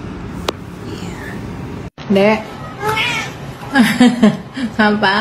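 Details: Sleepy British Shorthair kittens mewing in a loud burst of overlapping high, wavering cries, about five calls in quick succession after a brief silence, each rising then dropping in pitch.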